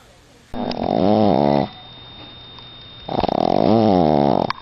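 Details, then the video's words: A sleeping dog snores in a small room with two long, loud, wavering snores about two and a half seconds apart, each a rough harmonic rumble and a quiet pause between, plus a faint steady electronic whine. "Funny Snoring Dog"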